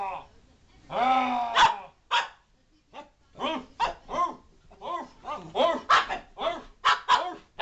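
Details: Chewy, a pet dog, reacting to voices spoken through a wrapping-paper roll: a long drawn-out howling whine, then a run of sharp repeated barks about twice a second, with a person speaking between.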